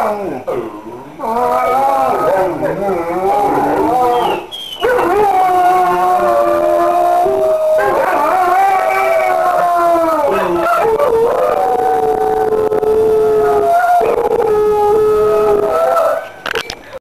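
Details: Dog singing along to a mobile ringtone at midnight, a melodic howling lullaby; long sliding, wavering howls rising and falling in pitch, several sustained notes with short pauses, voices faintly audible beforehand.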